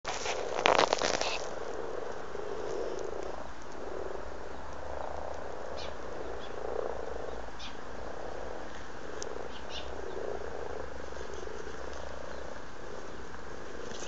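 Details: Amorous frogs croaking in a garden pond in Blarney, County Cork, Ireland, in February: a soft, continuous low purring chorus of overlapping croaks, with a brief crackle near the start and faint clicks and splashes above.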